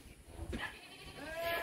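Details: A class A Garut sheep (Ovis aries) gives short, wavering bleats with a nasal, harmonic quality.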